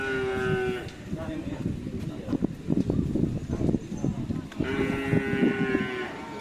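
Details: Cattle at karapan sapi bull-race training on the Asemanis field in Pamekasan: two steady, drawn-out moos, one opening the recording and another near its end, with crowd chatter and voices in between.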